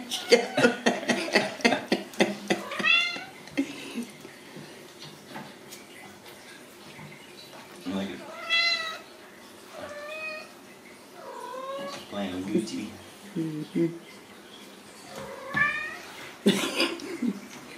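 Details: Ragdoll kittens raised in a home cattery in central Kansas; repeated high, rising-falling meows every second or two, several callers, with handling noise and a person's voice at the start.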